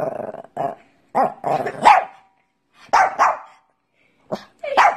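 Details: A Pekingese gives gruff, clustered barks and rough grumbling yaps in short volleys separated by brief pauses, with a final pair of sharp, higher barks.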